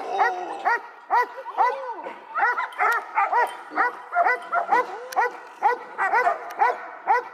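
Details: A seven-month-old male dog named Echo, in bitework training, barks in an even series of short, clear barks roughly twice a second, with one drawn-out lower bark early on.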